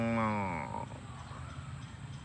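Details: Cows running home to the barn on a farm; a loud moo opens the clip, its pitch sliding down as it fades within under a second, then only low rumbling background noise.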